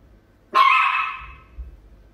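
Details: Chihuahua barking at a cat: a single loud, harsh bark that starts abruptly and fades over nearly a second, with a growl-like rasp and faint low background noise.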